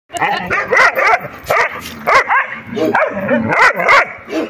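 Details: Puppies play fighting, giving a rapid run of high, yappy barks and yips with arching harmonic shapes, several bursts close together, each about a quarter second long, with brief pauses between.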